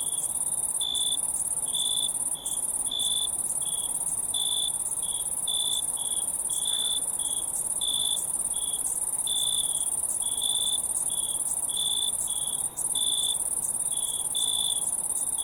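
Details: Crickets trill continuously at a very high pitch, while a lower-pitched chirp repeats in short separate bursts about once a second, with no other sounds.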